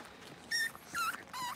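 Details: Blenheim Cavalier King Charles Spaniel puppies, one of a litter of five born at New Year's, in a home puppy pen just moved to a bigger pen; three short, high, squeaky whimpers with thin tonal whines, the last falling slightly.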